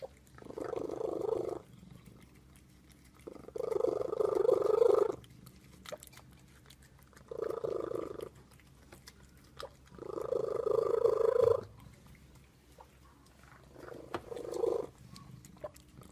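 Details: Domestic cat making what is called a terrible sound indoors: five low, rough, drawn-out growling calls, each lasting one to two seconds, separated by short pauses, with faint room noise between.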